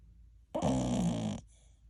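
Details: One loud, grating snore of under a second from TuTu, an American Cocker Spaniel puppy of ten months dozing through an hour of snoring. A low rumbling harmonic drone follows soft breathing and then fades.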